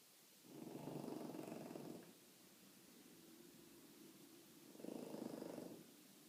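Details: Gentle snoring from a French Bulldog, two slow, rough, fluttering breaths roughly four seconds apart, the first longer, with a faint softer rasp in between.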